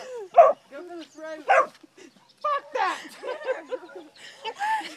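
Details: Ruby, a walker hound pup, barks while trying to intimidate a hen: three or four high, harmonic yelping barks in the first second and a half, followed by a woman's excited, agitated talking over further yips.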